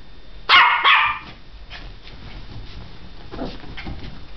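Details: Tessie, a dog full of energy and running about, gives two sharp, loud barks in quick succession early on, followed by quieter shuffling and faint rustling movement sounds.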